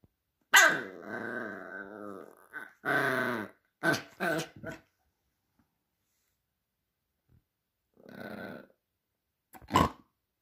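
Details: Havanese puppy playing roughly with a man indoors: long rumbling growls with harmonic, wavering tone around half a second to two seconds in, then sharp short yips and barks, a later growl burst and a final bark.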